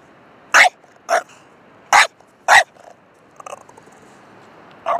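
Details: A dog barking in short, sharp bursts: four loud barks in the first three seconds, irregularly spaced, then quieter faint sounds and one more bark at the end, over a low background hiss.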